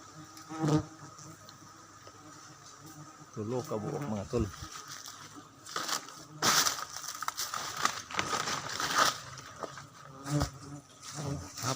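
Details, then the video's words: Wild honey bees at Baganga: a low, steady droning hum runs beneath repeated knocks, crackles and sharp bursts of handling noise, with brief voices nearby. "wild honey bee"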